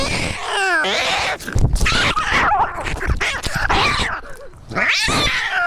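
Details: Screaming domestic cat, a wavering howl at the start and again near the end, with rough, noisy, choppy yowling in between.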